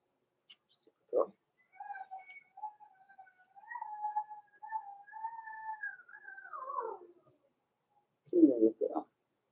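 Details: Indoors in a puppy pen, young blenheim Cavalier King Charles Spaniels from a November 14, 2022 litter produce a long, drawn-out whistled whine lasting about five seconds that wavers, then falls away, with short rough yelps before and after.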